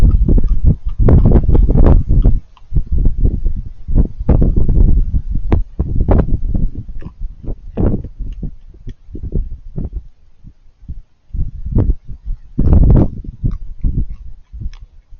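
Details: Raccoons crunching food: long runs of loud, rapid chewing and crackly bites, a quieter patch of sparse clicks midway, then another loud burst of crunching before it tails off.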